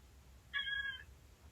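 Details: Female pet domestic cat answering with a brief, quiet, high meow of about half a second when asked to say hi again, over faint indoor background hum.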